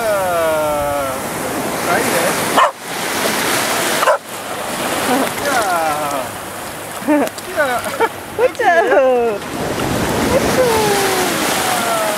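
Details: James, a two-year-old Cardigan Welsh Corgi playing on the beach at Terschelling, the Netherlands, in July 2011, gives sliding, wavering whines and bursts of quick yelping barks over steady surf, with a person talking in Dutch.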